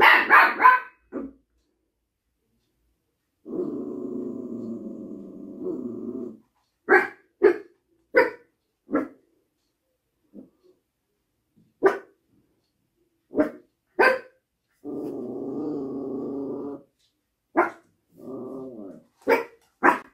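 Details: Little apartment dog alternates long, low rumbling growls with bursts of sharp, irregular barks, some single and some doubled, over about twenty seconds indoors.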